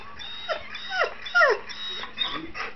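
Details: Two dogs, one small and one big, squabbling over a chair; several brief falling whimpers and whines in quick succession, the loudest a clear descending cry halfway through, with soft household background.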